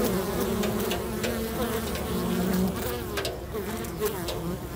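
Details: Many busy bees at a local bee box hum steadily, a low, dense drone of overlapping wingbeats.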